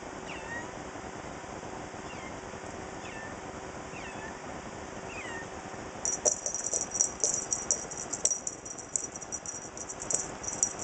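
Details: Huey the Comet, a new kitten brought home on July 13, 2011, playing with a feather toy indoors: about five short, high, thin meows with bending pitch in the first half, followed by bright jingling, rattling toy sounds.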